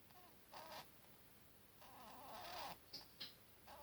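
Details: Buttons, a one-year-old pet rabbit, snoring indoors: soft wheezy breaths with faint squeaky whistles around each exhale, bursts lasting about a quarter to one second, followed by a couple of short clicky sniffs.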